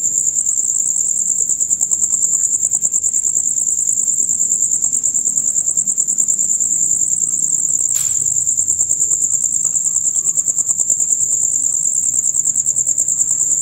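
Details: Male crickets keep up a dense, rapid high trill, the usual dusk-to-dawn concert, pulsing evenly; one brief sharp click breaks in midway against a low faint rumble.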